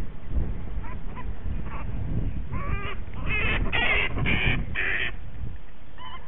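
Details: Punch, a male bat treated after a dog attack that left a puncture wound, rescued from rose bushes in a suburban backyard; harsh, raspy screeching bursts come in quick clusters over the middle seconds, with low handling noise and a constant background hum.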